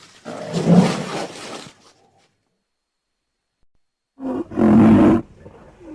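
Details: Two rough, breathy roaring calls from a rhinoceros, the first long and wheezing, the second shorter with a low groaning tone, separated by several seconds of silence.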